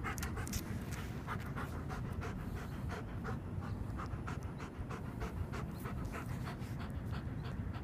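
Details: German Shepherd at practice training, panting steadily in quick rhythmic breaths that come several times a second, over a constant low rumble of background noise.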